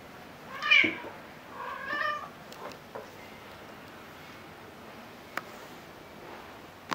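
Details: Two rescue cats, including a roughly four-month-old adopted kitten, chasing each other indoors in December 2018: a sharp short meow, then a longer wavering one, followed by quiet with occasional clicks and taps.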